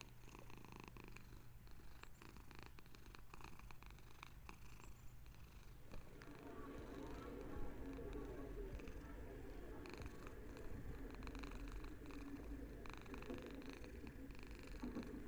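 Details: House cat's calm purr, a low rumbling hum that grows fuller and louder after the midpoint, heard close up in a quiet room with faint background murmur.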